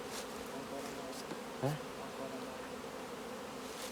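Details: Honey bees in a thriving colony's hive as beekeepers harvest honey: a steady low droning hum with even tonal bands, one brief sharp click midway and faint higher hiss.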